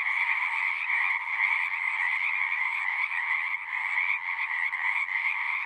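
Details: Many frogs singing together at a pond in a horse pasture, recorded with a Zoom 6: a dense, unbroken trilling chorus with a bright upper layer and a lower buzzing layer, steady throughout with slight pulsing.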